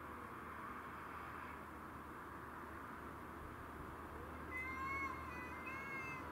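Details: Domestic shorthair cats fighting over territory, among them Tom (black and white), Mimi (white and ginger) and a grey-and-white neighbourhood stray. After four seconds of steady background hum, a drawn-out, wavering, harmonic yowl rises and holds to the end.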